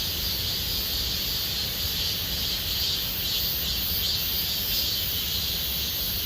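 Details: Cicadas fill Gomsol Nuri Forest in the Sihwa district with summer song: an uninterrupted piercing buzz of many insects, faintly pulsing in intensity, over a quiet low rumble.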